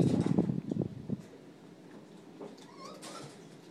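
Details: Curious baby raccoon in the care of licensed wildlife rehabilitators at Bi-State Wildlife Hotline, kept for later release to the wild; rapid low, pulsing churrs for about a second, then a quieter stretch with faint higher tones.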